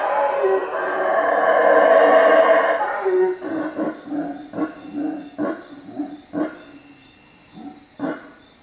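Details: Howler monkeys calling at night from treetops above a hut at Lake Peten Itza, Guatemala: a loud, deep, drawn-out roaring howl for about three seconds, then a series of short grunting pulses roughly every half second that gradually fade.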